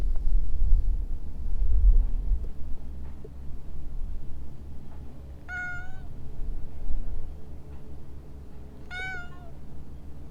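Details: From within a shrubbery a stray cat meows twice, about three and a half seconds apart. Each meow is short, bright and slightly falling, over quiet low background hum with faint rumbling at the start.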